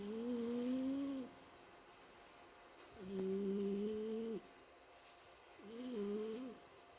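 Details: Sleeping house cat Mike snoring: three long, steady, whistle-like droning snores, fairly level in pitch, the middle one the longest, spaced about three seconds apart in an otherwise quiet room.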